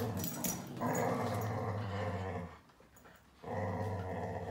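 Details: Whippet dog growling while fighting a duck, a low rumbling growl held for about two and a half seconds, a brief pause, then growling resumes; some higher squeaky sounds early on.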